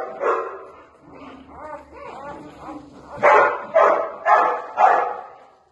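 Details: Newborn Labrador Retriever puppy; soft whining sounds followed by four loud, high yelping cries about half a second apart, each with a rising then falling tone.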